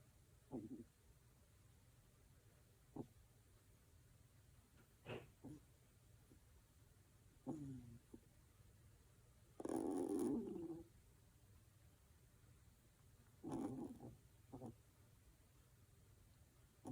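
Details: Sleeping two-month-old female Kaninchen Dachshund puppy named Lucca, born July 22, 2021, snores like an old man indoors. Irregular brief rough snorts, with one longer, louder rasping snore midway, then a few more short ones.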